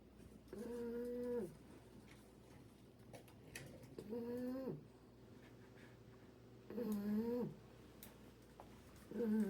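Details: Snoring English Bulldog puppy asleep indoors, giving drawn-out whistly snores about every three seconds, each around a second long with a slight pitch sag at the end, faint ticking sounds between breaths.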